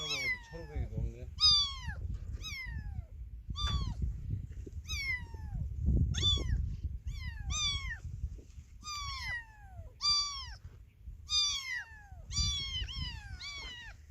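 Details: Kitten separated from its mother meowing insistently, a rapid, uneven run of sharp, high-pitched cries that drop in pitch, some doubled, over soft low background noise and faint voices.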